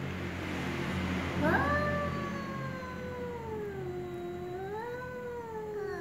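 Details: Ginger cat and black cat meowing slowly: a single long drawn-out meow that sweeps sharply up, then sags and wavers for over four seconds before a small rise and fade, rich in harmonics over a low background hum.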